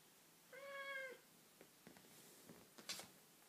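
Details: A 17-year-old cat playing with a string for the first time in a while gives a single steady, drawn-out meow lasting over half a second. Soft tapping and rustling sounds from the play follow in a quiet indoor room.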